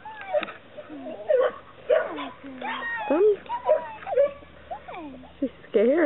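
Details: Young Chesapeake Bay Retriever pups whining and yipping, quick rising and falling squeaks repeated every second or so, while people talk and coax them to follow.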